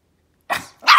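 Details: Pomeranian puppy, one of three, barking for treats when told to speak: two quick sharp yaps about a third of a second apart, the second brighter and louder.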